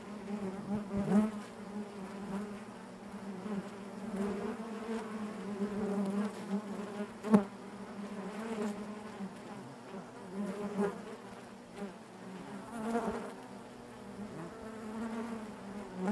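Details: Honey bees buzzing inside their hive: a steady dense drone with a strong low hum and stacked overtones, swelling and fading as single bees fly close past, one sharp click near the middle.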